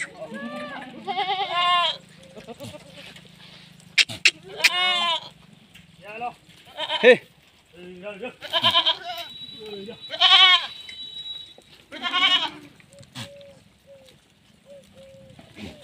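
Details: Female Sirohi goats at a goat farm in Rajasthan, India, bleating loudly in wavering, harmonic-rich cries, several overlapping calls spaced a second or two apart, with men talking in Hindi and a high steady tone in the background.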